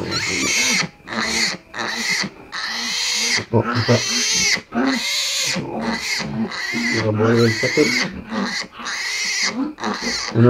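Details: Sow farrowing in the small hours with piglets present; repeated shrill squeals broken by short pauses, under deep rhythmic grunts, continuous throughout.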